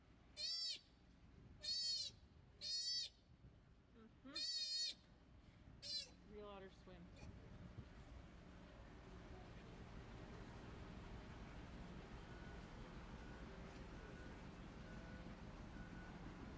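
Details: Sea otter pup in rescue care, getting comfortable in the water and making first attempts at swimming and diving; five high, shrill, harmonic squeals in quick succession, then quieter calls fading into water and background noise.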